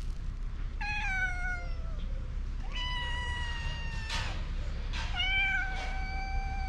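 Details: Mother cat and her kitten meowing loudly for food, hungry: several long, strong, slightly falling meows in a row, some overlapping, with a steady low hum behind them.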